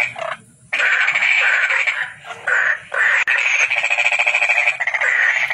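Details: Toad giving a series of buzzy, rapidly pulsed trills, each lasting about a second, separated by brief pauses, with faint low rumbling beneath.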